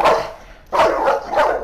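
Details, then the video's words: German Shepherd aggressive toward other dogs, giving three loud, harsh barks spaced roughly every 0.6 seconds, each a broad noisy burst with a quieter gap between. "German Shepherd Matapang sa ibang Aso?"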